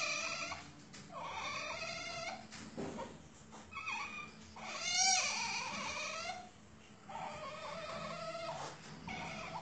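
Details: Asian palm civet at a breeding farm: a series of harmonic, mewing, cat-like calls, each lasting about a second and rising and falling, repeated several times with short gaps, over a faint background hiss.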